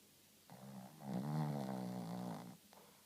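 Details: Shih Tzu named Rintaro snoring indoors: a single low, rasping snore of about two seconds, with a steady harmonic drone that swells and fades, set in a quiet room.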